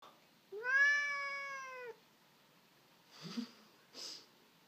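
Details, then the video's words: Indoor Sphynx cat whining, irritated and complaining that an arm is not offered for him to attack: one long, steady, tonal meow-like whine lasting over a second, dipping at the end, followed by two soft rustling knocks. "Sphynx whining"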